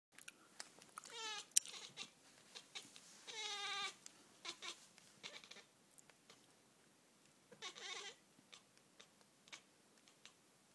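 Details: Siamese kitten chattering at a dot on the ceiling: short, bright, stuttering chirps in bursts near one, three and a half and eight seconds, with scattered soft clicks and quiet gaps between.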